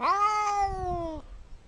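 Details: Pet cat's single meow, about one second long, starting bright and loud and then holding a level tone that fades slightly before cutting off, with faint low room noise afterwards.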